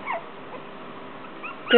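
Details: Three female Shorkie puppies, a Shih Tzu and Yorkie mix, 3½ weeks old, playing together: a faint high whine at the start, a quiet stretch, then a louder, sharp, rising whimper at the end.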